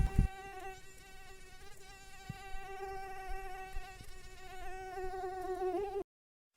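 A mosquito's steady, thin whine hums at one even pitch for about six seconds, wavering slightly near the end before cutting to silence.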